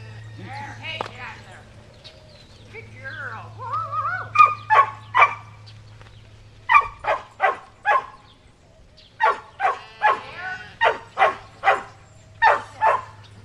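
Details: Shetland Sheepdog Cammie barking as she herds sheep at Performance Dogs in Action near Sacramento, California, July 25, 2010; whiny, rising yelps lead into runs of rapid sharp barks with a brief pause midway, steady hum throughout.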